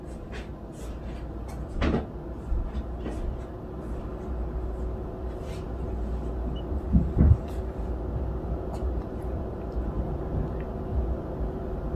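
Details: A low steady indoor rumble with occasional knocks and clatter, like a cupboard door opening and closing, and no animal voice.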